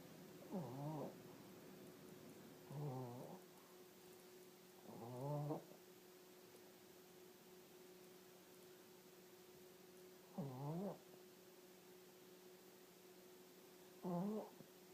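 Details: Dog snoring: low, rasping snores with harmonic stacks, about every 2 to 4 seconds, each lasting under a second, over a steady faint background hum.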